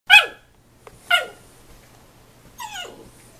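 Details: Husky puppy yelling at his father while play-fighting and getting mouthy with him: three sharp, high yelps with falling pitch, about a second apart then a longer pause, over a quiet background.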